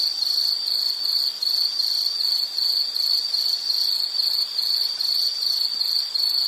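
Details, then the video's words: Insect calling outdoors in nature: high, ringing pulsed chirps at a brisk steady beat, with slight dips in loudness now and then, over quiet background noise. "Sound · Nature Sound of nature sounds scenery L · insect"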